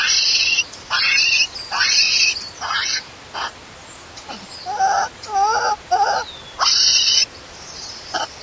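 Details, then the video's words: Newborn monkey crying loudly when its mother leaves: repeated shrill screams in quick succession, then quieter warbling whimpers with wavering pitch, then another long scream and faint sobs. "CRYING SO LOUDLY AND ANGRY MOMMY LEAVE BABY ALONE"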